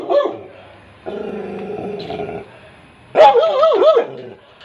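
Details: Labrador retriever puppy giving a loud yelping bark of several rising and falling notes near the end, after a quieter stretch of steady tonal sound, with background music.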